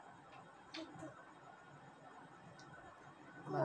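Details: Quiet indoor room tone with a few faint clicks and a brief soft thump near the end; no animal voice is heard.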